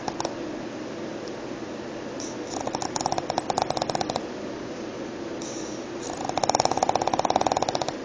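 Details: A pug snoring indoors: two long, rattling, buzzy snore breaths, the first lasting about a second and a half, the second nearly two seconds and louder, separated by quieter breathing over steady room hiss.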